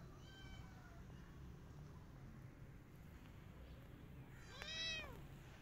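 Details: A rescued kitten sheltering in a jacket gives a faint thin meow early on, then after a long pause a loud, arched meow near the end, with a constant low background hum.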